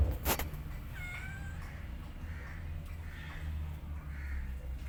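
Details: Short, faint, high meow with thin rising harmonics, heard where a mother cat rests beside her sleeping kittens; a sharp click opens the recording over a steady low hum.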